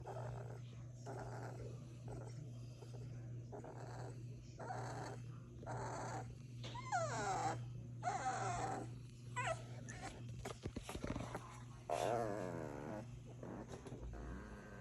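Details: Sleeping puppies dreaming and snoring make soft breathy sounds, then thin squeaky whimpers that rise and fall in short bursts around the middle and near the end, over a steady low electrical hum.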